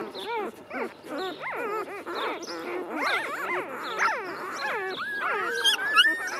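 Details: Two-day-old Golden Retriever puppies, a litter squeaking together: many overlapping high, wavering whines and squeals that rise and fall quickly, with a thin, sharper squeak near the end.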